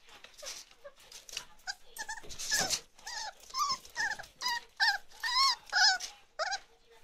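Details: Chocolate Labrador Retriever puppies, 34 days old, from Ruby's litter, indoors: a run of short high whines and yelps, each bending up then down, coming about twice a second, with rustling between them.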